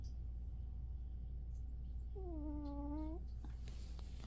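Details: Snoring from a young cat, one year old: a single tonal breath of about a second, slightly dipping then rising at the end, with clear overtones above a steady low background hum.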